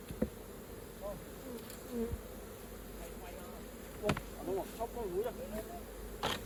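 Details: Honey bees buzzing densely over a hive being opened for honey, the low hum overlaid by wavering whines of individual bees flying close and several sharp knocks from hive tools.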